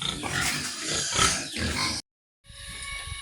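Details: Sows receiving injections give a run of rough grunts and harsh squeals for about two seconds, then a brief silent break, followed by fainter noise and steady rain.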